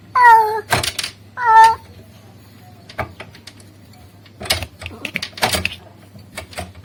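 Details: Male cat calling a female: two short harmonic meows at the start, followed by clattering, tapping knocks and rustling noises, with a faint low hum underneath.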